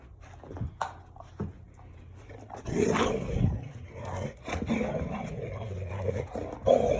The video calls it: Playful Dalmatian Dog — makes gremlin sounds!